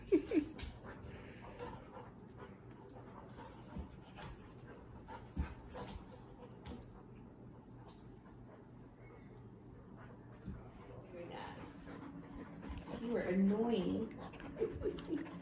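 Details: Two Labrador Retrievers, Sadie and eight-month-old Cedar, playing together in New Mexico: soft whimpers and low grumbling growls over steady background noise, rising to a louder burst of growly play noises near the end.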